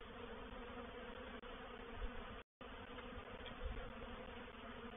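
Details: Reproductive swarm of honey bees entering a bait hive at Painted Peacock Manor, 04/07/21; a dense, continuous buzzing drone with layered low hum, broken briefly by a short dropout midway.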